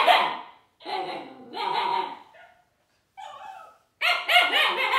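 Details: Young Siberian Husky Juno vocalising at Dash the robot toy: drawn-out, wavering yowl-barks with rising and falling pitch, separated by short pauses, ending in a louder run of yips.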